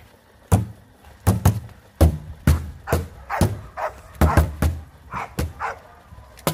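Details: Rottweiler puppies in a training routine for high-performance guard work, giving deep, punchy barks in irregular bursts, roughly a dozen over six seconds, some doubled in quick succession.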